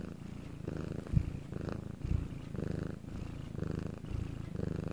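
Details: Pet cat recorded purring at night in a quiet setting in Korea; deep throbbing rumble swelling and fading with each breath, roughly five cycles, with a couple of small soft knocks.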